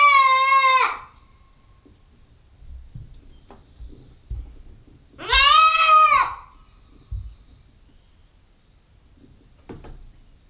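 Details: Bleating 9-week-old Nubian goat kid, female, recorded on a GoPro: two strong harmonic bleats about five seconds apart, the second rising then falling, with light knocks and faint bird chirps in the quiet gaps.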